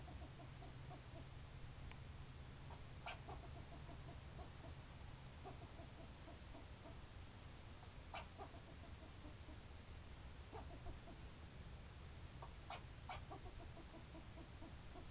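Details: Squirrel barking: short, chirpy barks come in quick runs, broken by a few sharp clicks, over a low steady background hum.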